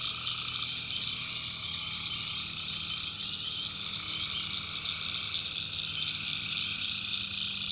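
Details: Backwoods swamp in North Carolina after dark, where tree frogs keep up a dense, even chorus of shrill continuous trilling. A lower pulsing voice is heard only briefly at the start.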